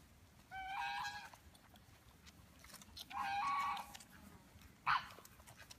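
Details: Five-week-old Belgian Malinois puppies from a litter of eleven born 18 June 2015 to Helke and Hot Dog give two drawn-out, high harmonic whines about two seconds apart, then a brief sharp yelp.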